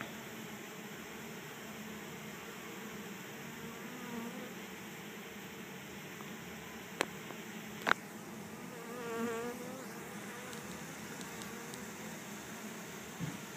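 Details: Honey bee swarm of 6000-8000 bees on the ground in a yard in Chico, California, walking into an empty hive during capture; a steady low droning hum with a couple of sharp clicks and a brief wavering tone near the end.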